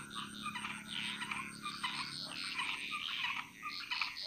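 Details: Jungle frog chorus in Bali: many frogs croaking at once in thick overlapping bursts, rising and falling in loudness over a few seconds, with a constant thin high-pitched insect tone in the background.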